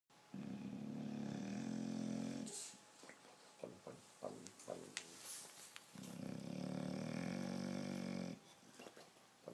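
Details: Sleeping bulldog snoring: two long, deep, buzzy rattling snores of about two seconds each, separated by a quieter stretch of soft snuffles and small clicks.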